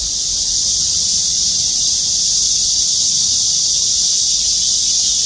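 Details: Chorus of cicadas perched in trees of the Gwangmyeong City Hall parking lot, South Korea: an intense, uniform high-pitched buzzing hiss sustained without breaks across the whole stretch.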